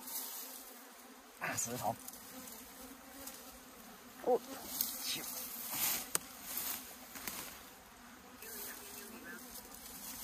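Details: Steady low hum of honey bees from a hive being opened in the hills of Puning, Guangdong, its top overgrown with grass and ants crawling about; handling knocks and clatter punctuate the continuous drone.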